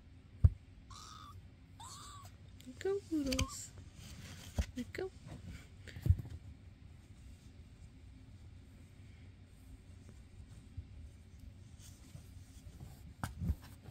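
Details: Indoor foster cats, filmed May 22, 2024: Basil, a skittish adult male stray, with Oodles and Zimothy causing chaos. Short arched meows with harmonics in the first seconds, then scattered thumps, scuffling and a human voice.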